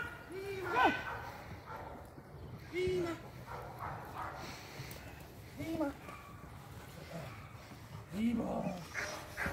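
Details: Clara, an 8-month-old female Presa Canario puppy (X'Paco's daughter) working in security dog training, gives single arched barks spaced roughly every two to three seconds among people talking in a noisy setting.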